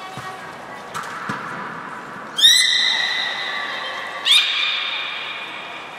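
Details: Captive belugas Gray, Mirai and Nico during a training session at Port of Nagoya Public Aquarium, 16 December 2018; two sudden, loud, harmonic tones rise at onset then hold steady and fade slowly, over faint background clatter.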